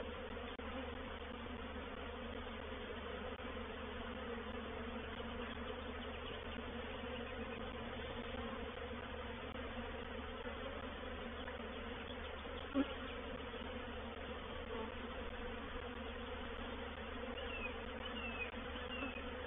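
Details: Honey bee swarm settling into a swarm trap at Painted Peacock Manor on 04/07/21; an unbroken, steady buzzing drone of many bees, with a single sharp click partway through.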